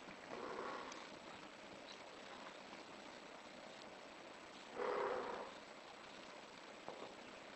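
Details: British Shorthair cat in heat with two calls: a softer early one and a louder, sustained cry near the end, against faint rushing background noise.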